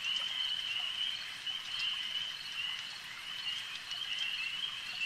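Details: At a lake, frogs produce a constant shrill trilling drone at a single high pitch, swelling slightly in loudness now and then, with soft ticking sounds scattered through.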